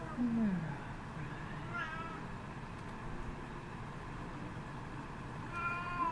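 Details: Domestic Shorthair cat up for adoption, meowing indoors: a low falling meow at the start, a higher wavering meow near two seconds and a bright rising-falling meow near the end, over a steady low room hum.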